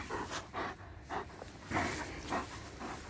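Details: Tired German Shepherd after ring play, panting in loud, breathy huffs about every half second, a steady rasping rhythm, with a man speaking Russian around it.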